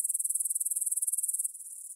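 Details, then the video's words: Grasshoppers stridulating at 9pm on 6 September 2020 in a field beside the Svensky monastery, Bryansk, Russia, on a Tascam DR-44WL. Fast, loud, high-pitched pulsing for about a second and a half, then a softer, fainter trill continues. "кузнечики на лугу – Grasshopper Sounds in the Field"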